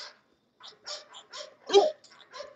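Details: Excited English Bulldog barking at the Old Red English Bulldogs Kennel, a ragged string of short barks rising to one loud, harsh bark near the end, mixed with a man urging the dogs on with shouts of "go, boys".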